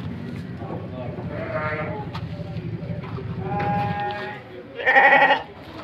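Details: Penned Petetan feeder sheep at Kepuh, Padalarang, West Bandung: a man's speech and low rumble, then a single loud, trembling bleat toward the end.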